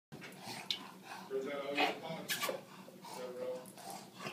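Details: A bulldog vocalizes excitedly in a run of harmonic whines and throaty grunts, with a sharp rise near the middle and overlapping human voices throughout.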